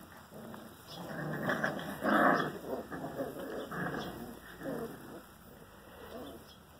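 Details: Five-week-old German Rottweiler puppies from a DNA-screened litter of seven males and three females make short low grumbling whines and growly sounds, loudest at one burst midway, over a steady high-pitched background hum.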